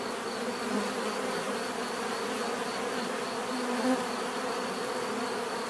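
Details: Steady hum of many bees, a thick buzzing texture holding level throughout, with a couple of brief closer passes standing out for a moment.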